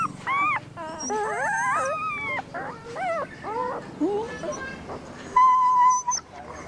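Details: Puppy whimpering in high, wavering whines that slide up and down, several voices overlapping, ending in a steadier, thin held note.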